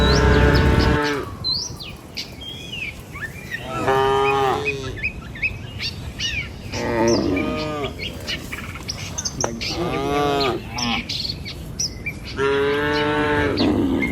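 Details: Morning cattle herd walking over a river bridge to the village and its fields, with passing birds noted; five or six moos spaced a few seconds apart, accompanied by bird chirps and low ground rumble.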